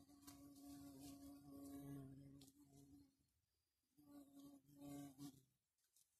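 A garden bumblebee gives a steady, low droning buzz that pauses briefly, then resumes.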